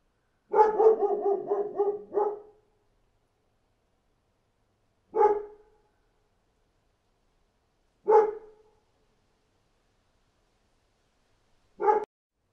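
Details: Outdoor dog barking: an opening burst of five or six fast barks, followed by three isolated barks spread about three seconds apart, silence in between.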